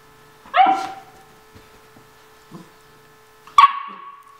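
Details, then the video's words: Kaylee, a nine-week-old Vizsla puppy at morning play, gives two high tonal yips about three seconds apart, the second clipped and ringing, with faint scuffling between. "Kaylee's Morning Play Time"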